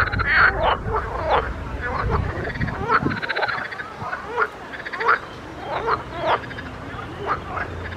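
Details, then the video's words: Several frogs calling in a pond, with overlapping short croaks and rising, nasal notes repeated about once a second, some buzzy pulsed bursts, and a low rumble underneath. "grenouilles chantes croasses leurs mélodies des grenouilles dans un etand d'eau"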